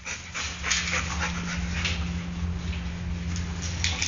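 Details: Golden Retriever named Luke, born 22 December 2009, recorded 19 May 2010, panting in quick breathy bursts that repeat steadily over a constant low electrical hum.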